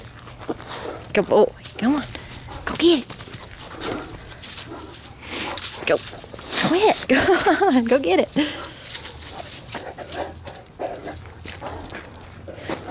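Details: Merle Great Dane, a two-year-four-month-old rescue in a fleece sweater, playing and wrestling in a backyard with another dog; wavering whiny, grumbling vocal bursts early on and again in a longer wobbling run midway, with a man urging him to fetch.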